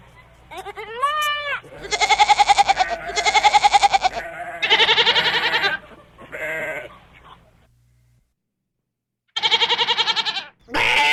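Goats bleat loudly in a series of harsh, wavering, nasal calls, each lasting about a second.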